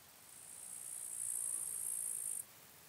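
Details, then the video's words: A large marsh grasshopper (Stethophyma grossum) in Elsbethen, Austria, on 26 September 2021 sings a high, dry, hissing burst lasting about two seconds. "Stethophyma grossum -- Sumpfschrecke -- Large Marsh Grasshopper"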